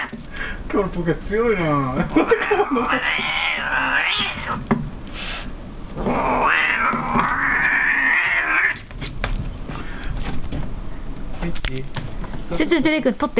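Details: In a cat tower, a brown female cat caterwauls furiously as a white-and-grey male keeps biting her, though the two are normally friendly. Quavering, siren-like yowls slide up and down in long sustained stretches, with brief breaks and faint speech.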